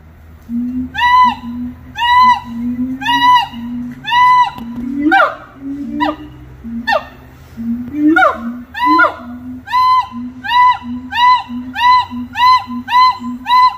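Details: Singing monkeys at Little Rock Zoo give a long series of arched, whistle-like hoots repeated about every second, broken midway by sharper sliding cries, over a steady low droning note that pulses beneath.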